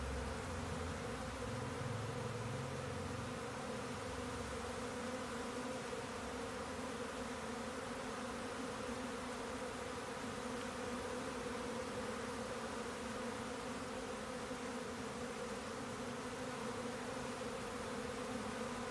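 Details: A mass of swarming honeybees gives a constant, thick droning buzz; faint low rumbling appears briefly early on beneath the steady hum.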